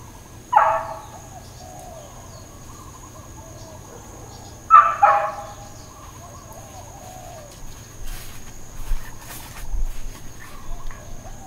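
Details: Neighbourhood dog in Hawaiian Paradise Park, Hawaii, barking on September 2, 2024: two separate loud, rough barks roughly four seconds apart, then quieter distant knocks and rustles against a constant faint hum.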